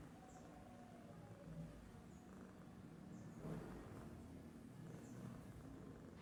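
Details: Sleeping domestic cat named Babul, idle and snoring; quiet low rumbling breaths swell near the middle and again toward the end, over a constant low drone with soft high chirps overhead.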